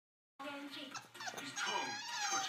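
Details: A four-month-old male French Bulldog whines in high, wavering cries, pleading to be let out.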